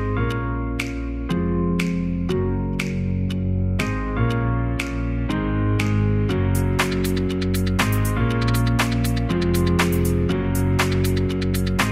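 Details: Steady instrumental music with keyboard and plucked guitar-like notes in repeated rhythmic chords, and no animal voice anywhere.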